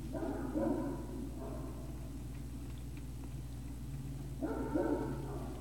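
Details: Great Dane puppies at Puppy Hill, recorded 03-05-2019 in the early evening: two soft, muffled woofing bursts, one at the start and one near the end, separated by a quiet gap over a steady low hum.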